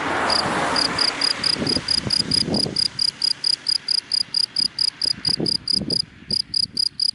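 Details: Cricket calling in dry daytime grass, sharp high chirps repeated about four per second, with scattered low thumps and a traffic rush at the start that fades away.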